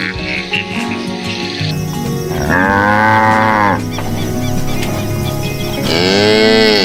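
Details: Cow lowing over steady background music: long, drawn-out moos with stacked harmonic bands, one around 2.5–3.8 seconds and another rising toward the end, music continuing throughout.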